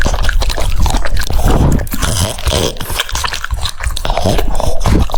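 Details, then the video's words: French Bulldog eating cucumbers: wet, crunchy chewing with rapid, irregular bites and snuffling breaths, loud and close. "The sound of chewing cucumbers"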